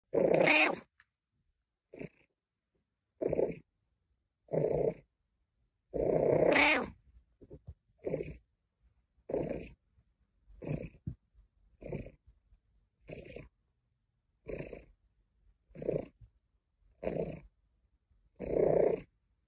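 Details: Caesar von Schwanheim, a pet cat, purring and complaining: a run of short, rough, noisy grumbles repeated about once a second, a few longer drawn-out complaints early on, quiet gaps between each burst.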